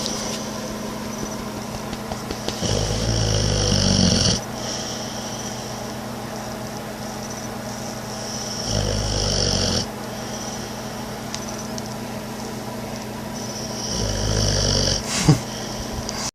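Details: Boxer dog snoring loudly though wide awake, three separate rasping snore bursts spaced several seconds apart over a quieter, continuous low background hum.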